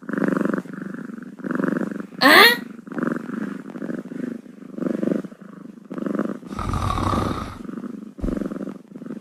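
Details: Kitten purring steadily in a low rumbling rhythm, each breath cycle lasting under a second, with a brief sharp squeak and a burst of rustling handling noise partway through.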